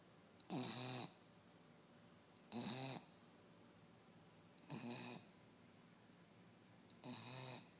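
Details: A sleeping West Highland White Terrier snores four times in under eight seconds, each a rough, rattling half-second breath repeated about every two seconds, with quiet pauses between in a calm indoor setting.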